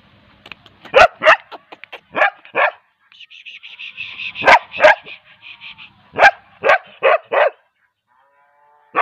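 A young Bull Terrier barks in sharp bursts, singly and in quick pairs, with a thin whine between.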